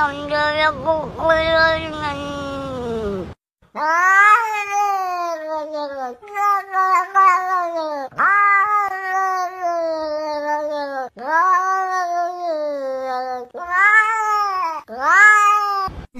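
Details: Domestic cat meowing repeatedly indoors: a wavering opening cry followed by a run of loud, drawn-out meows, each starting high and sliding downward, spaced about two seconds apart.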